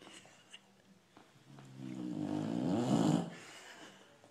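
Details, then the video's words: Sleeping dog snoring: a single long rasping breath swelling over about a second and a half, then fading, with faint room noise around it. "Funny Dogs Snoring"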